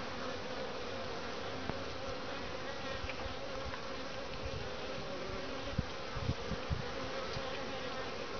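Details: Honey bees at a top-bar hive in Lynchburg, Virginia, on a 60°F day in February (midwinter) bring in grey and orange pollen. They make a steady, low droning hum, with louder buzzes as individual bees pass close.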